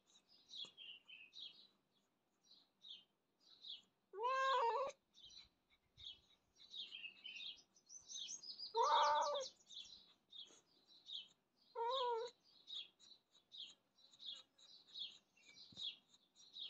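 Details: Pet cat meowing: three loud, drawn-out meows with a wavering, falling pitch, spaced a few seconds apart. Many small birds chirp and twitter throughout.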